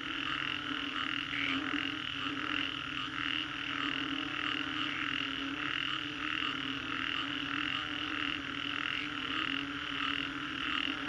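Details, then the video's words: Many frogs call together after a storm in Singapore's Green Corridor. Rapid, overlapping croaks make a continuous throbbing chorus with faint rhythmic surges. A lower steady drone runs beneath it. "Frogs after Storm, Green Corridor, Singapore"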